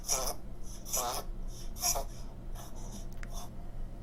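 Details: A dog gives harsh, honking goose-like dry coughs in quick bursts, each under half a second, repeated about once a second; dry cough typically from narrowed trachea or bronchi.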